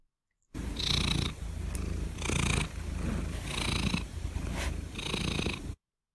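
A domestic cat purring softly with its mouth closed, a smooth low rumble swelling with each breath.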